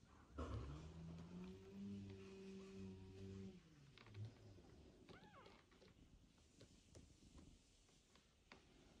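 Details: Indoor domestic cats meeting again after separation: Ginny slowly approaches the mother cat Mosya, recently home after a hard birth and surgery, while Mosya is stroked. A sustained low, harmonic moan of about three seconds opens, then fades into quiet room noise with faint rustling.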